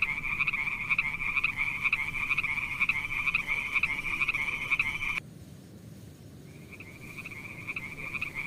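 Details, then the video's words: Frogs among mossy wet rocks, snails nearby, give a sustained buzzy trill of rapid, fairly even pulses for about five seconds, stop sharply, then start again more softly after a short pause. "Funny frog sounds"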